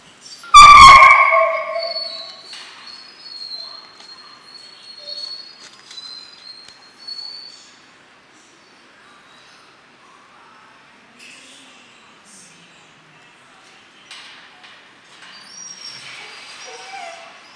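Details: Twelve-week-old German Shorthaired Pointer puppies Memphis and Patty, in a pointing and gun-dog training program at Mabe Kennels: one sharp, loud bark near the start, then near-silence with faint high whistles and light rustling.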